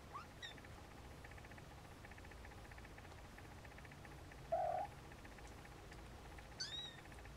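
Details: Siamese snowshoe kittens indoors: a single short, flat mew about half a second long sounds midway over a steady background hum, with a couple of faint high chirps near the end.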